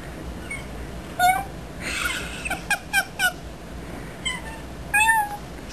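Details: An 18-pound Ragdoll cat, annoyed at being brushed, gives short, thin, squeaky meows that sound surprisingly kitten-like, the loudest meow he can make.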